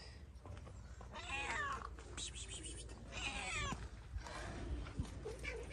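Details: Stray cat in Morocco, harassed by a ginger cat, lets out two strained, descending wailing meows about two seconds apart over background noise, followed by quieter rustling.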